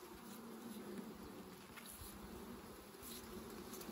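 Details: Dense, steady buzzing of many bees during honey harvesting, an even low hum without pauses.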